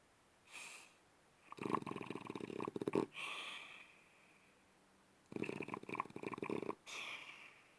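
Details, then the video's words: Sleeping French Bulldog snoring: two long rasping, rattling breaths with broad buzzy noise, each lasting about one and a half seconds, separated by quiet pauses with softer whistling exhales in between. "Спящий французский бульдог. Храп собаки."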